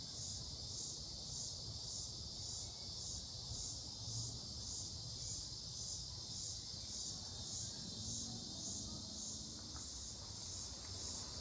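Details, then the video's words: Unidentified insects in Mankato, Minnesota, recorded on 18 July 2025, possibly cicadas: a steady high buzzing chorus pulsing roughly twice a second, with low rumbling background noise beneath. "What insect is making this sound?"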